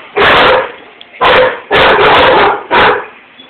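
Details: German Shepherd barking at something seen outside the window, with a Rottweiler joining in; four loud, harsh barks about one second apart, the middle two close together.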